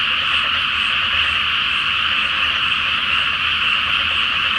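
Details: Frogs massed in a flooded paddy awaiting rice planting, calling at night beneath the full Flower Moon in Japan; an unbroken, buzzing wall of overlapping croaks.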